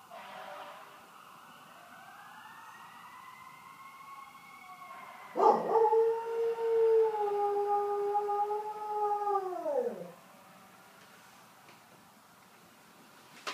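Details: Pet dog Meeker joins passing fire truck sirens near a fire station, phone recording. A faint siren swells and rises first, then a loud, even howl holds about four seconds before sliding downward and fading out.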